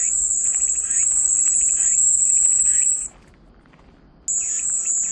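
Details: Cicada song, a steady high-pitched shrill buzz that holds for about three seconds, stops abruptly for just over a second of near silence, then resumes at full strength; faint lower chirping sits underneath.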